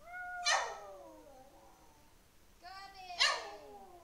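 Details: An 11-year-old pet Lhasa Apso that loves to sing gives drawn-out, tonal wails that slide downward in pitch; Lhasa Apso.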